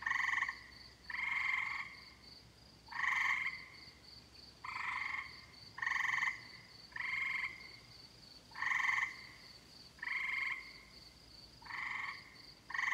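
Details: Tree frogs calling on a summer night: loud rasping pulsed calls, each about half a second long, repeated roughly every second and a half with a slightly uneven rhythm, over a steady high insect-like hum in the background.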